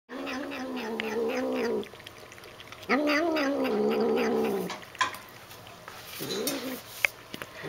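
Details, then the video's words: Female pet cat making her usual noises while drinking water: three droning, wavering tones, two lasting nearly two seconds and a shorter last one, separated by pauses and scattered with clicks. "Funny cat noises."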